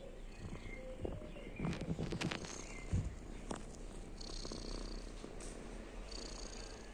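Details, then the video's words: Lucy, a cat, purring while asleep as a sound of happiness: a low, rough, steadily pulsing rumble, with a few sharp knocks near the start and faint bird chirps in the background. "While Lucy is asleep he makes wonderful sounds of Happiness"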